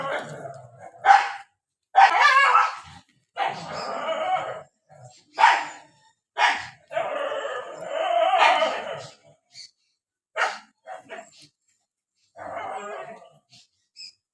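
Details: Fighting dogs in the rainy season, bursts of sharp barks mixed with longer growling snarls, irregularly spaced, with quieter yips toward the end.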